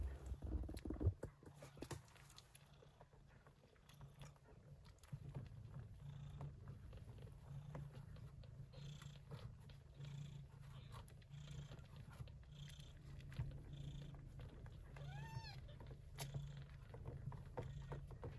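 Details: Mother Persian Chinchilla shorthair cat Yupi purring while tending her kittens, born during a typhoon in early September; a steady low rumbling purr runs throughout, with rustling and a brief high kitten mew near the end.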